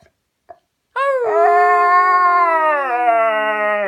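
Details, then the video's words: A pair of pet Siberian Huskies indoors, singing after their owner coaxes them: after a few faint sounds, a loud, sustained harmonic howl slides slightly downward over about three seconds, with a second, lower voice sinking steadily underneath. "Siberian Husky Singing Lessons"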